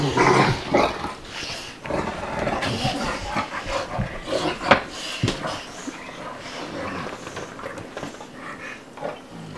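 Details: Two dogs playing together, Bubba, a two-year-old American Bulldog, and Ruby, a five-month-old Dogue de Bordeaux: rough, breathy noisy bursts and low growly huffs, irregular, about three per second, loudest at the start and fading slightly.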